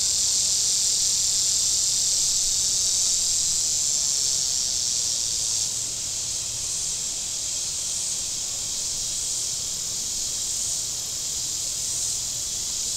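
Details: Table Rock Lake shore cicadas, southern Missouri, hot weather: an unbroken, bright buzzing drone holding steady, dipping slightly in loudness midway, above a faint low hum.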